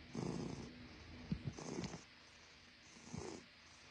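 A Russian Blue cat purring, a low rumbling hum that comes in bursts with each breath.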